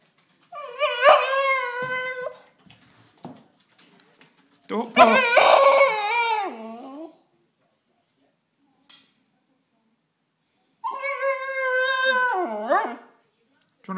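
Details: Female Siberian Husky pup, muddy and shut outside the house, crying: three drawn-out whining howls with wavering, bending pitch, each about two seconds long, separated by silent pauses.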